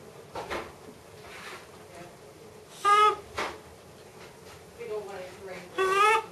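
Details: Excited macaque Miss Anna at Bear Creek Sanctuary, waiting as her breakfast is made, gives short tonal wavering calls, one near the middle and two more toward the end, amid faint indoor clatter and thumps.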